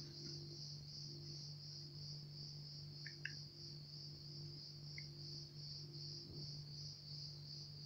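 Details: Crickets in chorus, starting up again in the background, keep up a steady, high, finely pulsed trill for the whole stretch, over a constant low mechanical hum, with a few faint short chirps.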